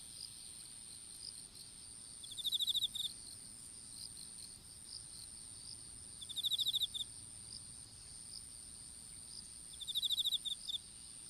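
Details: Insect chorus in an outdoor strawberry patch, heard through a smartphone dropped while planting seedlings. Brief rattling trills of rapid clicks sound about every four seconds over a faint continuous high whine.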